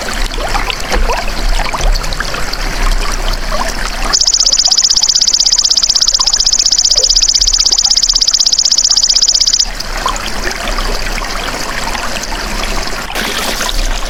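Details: Golden grasshopper, offered as a master sound for training songbirds: after a rough, hissing background, a loud, high, buzzy trill of rapid even pulses runs steadily for about five seconds, then stops abruptly as the noisy background returns.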